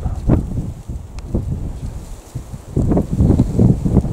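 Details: Wild boar in the wild, met by chance while hunting hares, give low, rough grunts in short irregular bursts, with wind rumbling across the microphone.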